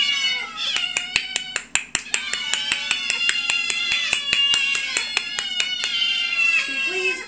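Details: Orion, Princess and their kittens, a family of house cats, mewing together indoors: a dense tangle of drawn-out, bending meows over a steady run of regular sharp ticks, with a lower voice near the end.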